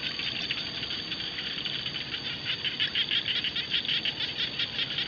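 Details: Frog chorus across rice fields: dense overlapping raspy clicking pulses in quick succession, growing stronger and more distinct toward the end.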